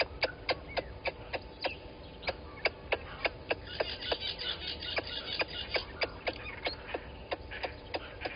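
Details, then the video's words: At Gowrie dam on Djuma Game Reserve, Sabi Sand Wildtuin, South Africa, a squirrel scolds a water monitor lizard below the waterhole cam, 10/04/20, 11:45: a steady run of hard, dry clicks, nearly four per second, over soft background bird chatter. "Squirrel alarming at Water Monitor Lizard"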